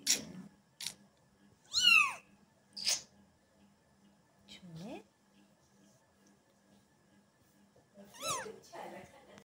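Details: Kitten indoors meowing several times: short rising and falling mews spaced a few seconds apart, one near the end more drawn out, with a human voice audible at times.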